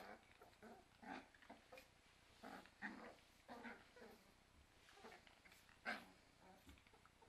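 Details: Cairn Terrier puppies playing with their mother indoors, giving short gruff growly grunts and yips in scattered bursts roughly every second or two, with soft scuffling between them.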